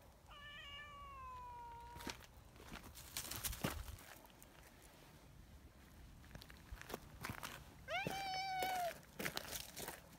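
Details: ['A friendly tabby community cat hurrying over after being left behind: two clear meows, the first long and gently falling, the second shorter and higher near the end, with scattered clicks, rustling and low outdoor rumble between.']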